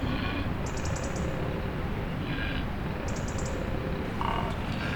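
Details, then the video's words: Koalas grunting while another koala tries to sleep: deep, rough, croaking grunts rumble continuously through the clip, with short bursts of faint high ticking sounds overhead. "THIS KOALA IS TRYING TO SLEEP WHILST OTHERS ARE GRUNTING"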